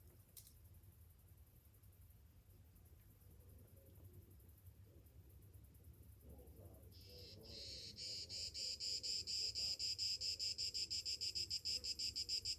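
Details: On a summer morning, about seven seconds of near quiet with a faint hum give way to cicadas bursting into a loud, high, rapidly pulsing buzz that swells and holds to the end.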